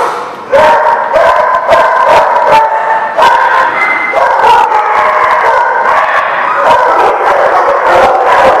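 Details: A crowd of dogs at The Barking Lot on 10/5/18 keeps up a dense mix of yips, barks and drawn-out howls. A quieter start swells after half a second into a steady, loud clamour.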